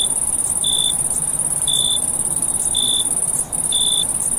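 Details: Crickets chirping at night in summer: a steady high shrill trill runs unbroken above short, lower pure-toned chirps that come about once a second, with a faint hiss behind them.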